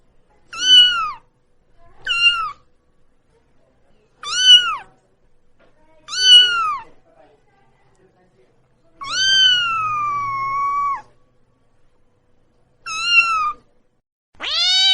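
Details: Cat with short, high, clipped meows spaced roughly two seconds apart, each rising then dropping, followed by one longer drawn-out meow near ten seconds and two more short calls at the end.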